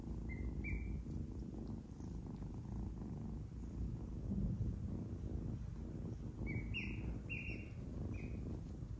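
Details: Low continuous purring from an adopted kitten at play, biting at fingers; brief high chirping notes appear at the beginning and again toward the end.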